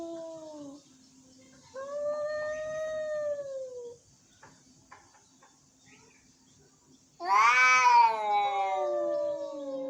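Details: Angry cats meowing: a falling moan, then a long level drawn-out meow, a pause with faint clicks, and finally a loud harsh rising-falling yowl with rich harmonics.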